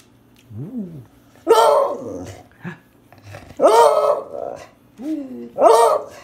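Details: A beagle howls in loud, ringing bursts about every two seconds, with softer whining moans between them, while being given a bone.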